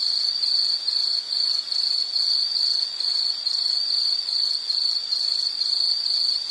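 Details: Insect trilling: a bright, high chirr broken into quick, regular pulses, holding steady volume from start to finish against a quiet background.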